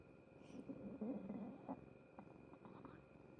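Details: A cat's stomach noises: soft, irregular low gurgles and rumbles in short bursts, loudest near the middle, with a faint steady hum throughout and a woman speaking Japanese nearby.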